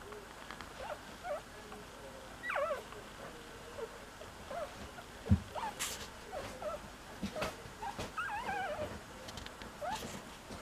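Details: Cocker Spaniel puppy looking for its siblings, giving thin, high whimpers that rise and then fall, scattered in short bursts a few seconds apart over a soft background hiss, with a few sharp knocks.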